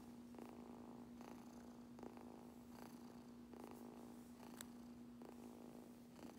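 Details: Kitten getting brushed and purring continuously, a constant low rumble punctuated by short bristly brushing bursts roughly every second, with one faint high click.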